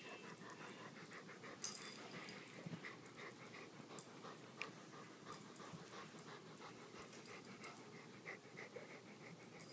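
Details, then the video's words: Two dogs, a Great Dane and a Rottweiler, playing in a living room one evening: steady rapid panting with soft huffs, a few sharper thumps and clicks from movement, close and indoors. "Great Dane & Rottie playing"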